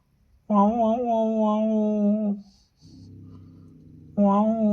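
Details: A cat in heat gives long, drawn-out, low yowls with a slight waver, then a quieter murmur.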